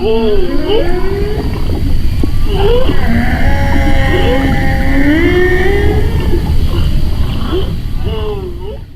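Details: Whale song heard from a boat through a self-built hydrophone made to amplify the songs: drawn-out moaning tones that swoop, rise and fall, with brief upsweeps.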